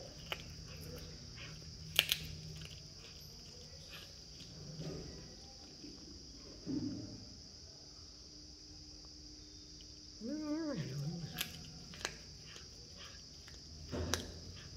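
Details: A cat gives one short, wavering meow with a rising and falling pitch, lasting under a second, after a steady faint hum, with scattered knocks and clicks around it indoors.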